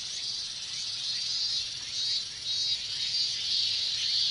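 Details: Hot Japanese summer with minmin cicadas massed in chorus: continuous shrill buzzing, loudness gently swelling and dipping, brief brighter pulses repeating near the end over the steady drone.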